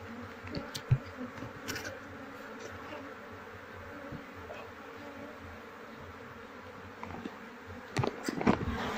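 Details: Honey bee colony being moved indoors into a hive box: continuous low droning hum with soft pulsing, scattered clicks and handling knocks, louder rustling near the end.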